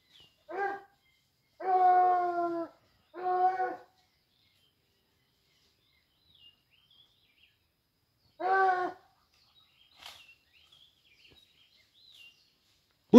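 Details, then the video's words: Hunting dogs pursuing a wild boar give a burst of three quick howled bays, then a fourth after a pause. Scattered faint bird chirps and a click are heard in the quiet stretch afterward. "Vean amigo sacan al Jabali mis perros"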